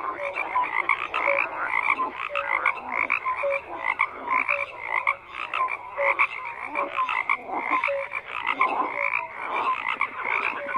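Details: Many frogs croaking together in a dense chorus, overlapping pulsed croaks between mid and high pitch with short tonal notes repeating through the background, steady and continuous with no other sounds.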